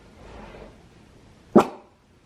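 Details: Yoshi, a Shiba Inu, reacting to a strange noise indoors: after a second and a half of low room hum, a single short, sharp muffled bark.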